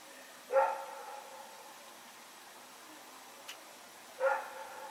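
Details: Two separate barks about four seconds apart from Rex, a dog running around in the night on 21 September 2018, with a faint click between them.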